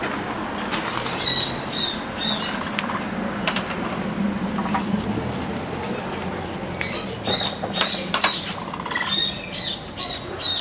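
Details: Capybara at a travelling zoo event, its bird-like chirping cries surprising visitors: short high squeaky chirps in scattered clusters, some bursts of rapid repeated notes, over steady crowd and background noise.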